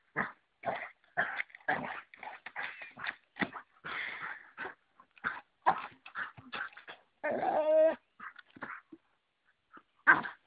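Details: Pet Dalmatian battling an oversized stick in play: a rapid run of short gruff growls and huffs, then a longer strained whine-like growl around the middle, before quieter scattered grunts.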